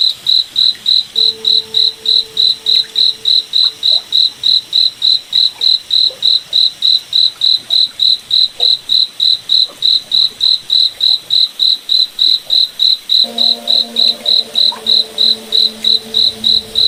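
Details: Night chorus from a cricket in a moonlit forest: a long run of sharp, evenly spaced high chirps, with faint low droning tones coming and going in the background.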